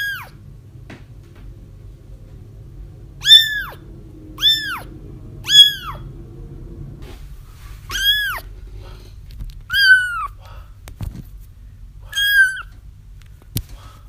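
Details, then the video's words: Kittens crying, as used to attract a feral mother into a trap: eight or so short, high, falling mews at irregular intervals, some sharper clicks, over a low rumbling room hum. "30 minutes of Kittens Crying"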